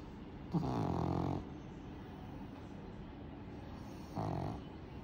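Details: A Pug snoring, with two low, rasping breaths, the first lasting almost a second and the second shorter a few seconds later, over a steady background hiss.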